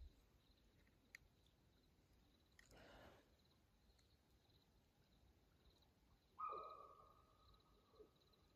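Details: Nighttime mountain lion on Houston Bros Trail, Coconino National Forest, Arizona, 2:15 a.m., June 7, 2024. After a burst of rustling comes one steady, fairly high-pitched, drawn-out tonal cry of about a second and a half, then quiet forest.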